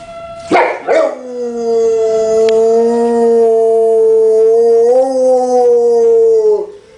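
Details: Year-old Dogue de Bordeaux puppy howling with tornado sirens. A short siren note and two rough bursts lead into a long, even, sustained howl of about five and a half seconds. The howl lifts slightly near the end, then fades.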